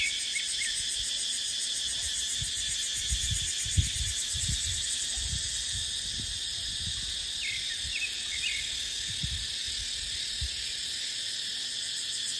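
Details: Cicada song fills a dry dipterocarp forest in the dry season as a constant high metallic whine. Low rumbling wind gusts push through repeatedly, with a few small bird notes.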